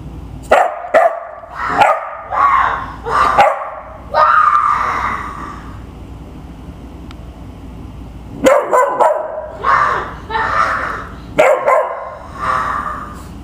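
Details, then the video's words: Pet dog barking together with a child who copies its barks; two bursts of quick, repeated harsh barks and yips, split by a quiet gap of about four seconds. "my kid barking with my dog"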